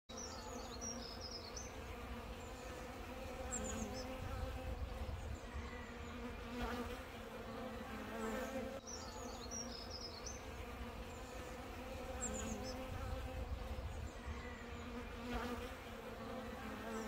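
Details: Honey bees in the UK cluster around a feeding bottle of sugar water, sipping. A steady, droning hum with layered low tones fills the recording, while brief high chirps from birds recur in the background.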